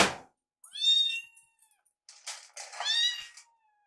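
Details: Rescued foster kittens Yuki and Piyo, waiting indoors for their food, give two loud, high, harmonic-rich meows about two seconds apart, after a sharp thump at the start.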